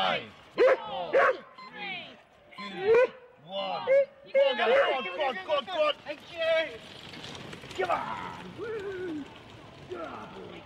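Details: Eager Husky teams, four dogs each, at a sled start in Rendlesham, January 2016, on analogue cassette: rapid barks and yelps pile up in the first half, then fade into a wash of background noise with scattered whimpers.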